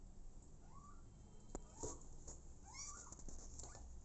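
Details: Abandoned kitten taken in by mother cat Smokey, letting out two thin arching meows about two seconds apart over a low indoor hum and a few sharp knocks.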